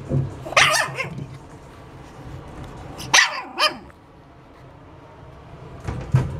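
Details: Pug barking: short harsh barks in pairs near the start and again around three seconds, with a final bark at the end, separated by quiet stretches with low background hum.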